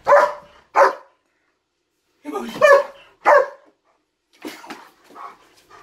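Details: German Shepherd freaking out at something in a closet, barking loudly in short bursts: two sharp barks, a pause, then a rougher run of barks and softer yelps trailing off, indoors.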